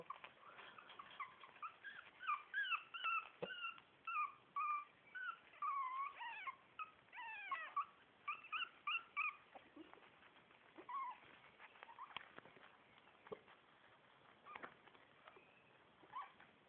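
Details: Four-week-old Shih Tzu puppies, litter A, whine in a dense chorus of high, wavering squeaks for about nine seconds, then only sparse peeps and soft clicks remain.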